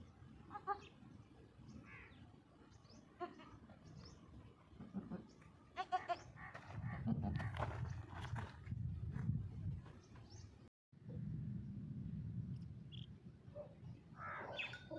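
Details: Young goat kids aged one to six days give scattered, brief, wavering bleats over fifteen seconds, mixed with rustling, thumps and a low continuous background hum.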